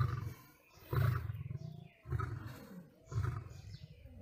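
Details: A lion fighting a tiger gives deep, rumbling roars in heavy bursts about once a second.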